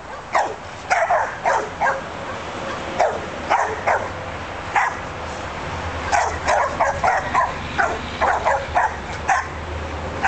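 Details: Australian Shepherds barking: sharp, loud barks in uneven bursts, several dogs overlapping, some rapid runs of three or four barks with short pauses between volleys, against a low steady hum.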